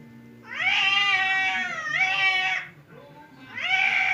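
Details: Two pet cats, fierce Temon and quiet Lelo, face off across a barrier as if about to fight; loud drawn-out harmonic yowls rise and hold in two long bursts, a quieter pause, then a third rising wail.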